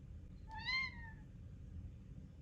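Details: Pet cat asking for his meal at feeding time: one drawn-out meow, starting abruptly and sliding gently downward over about half a second, then silence apart from a low rumbling room background.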